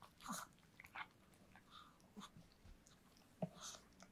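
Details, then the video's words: Close chewing from Yulman the dog working through a cake: a few heavy chomps, a pause of quieter licking and smacking, then a sharp bite and wet clicks, over a light indoor hum. "강아지 케이크 먹방 ASMR(리얼 사운드)"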